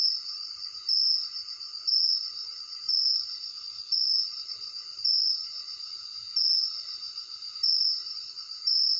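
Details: At night, a cricket trills steadily at a high, ringing pitch, with louder bursts about once a second.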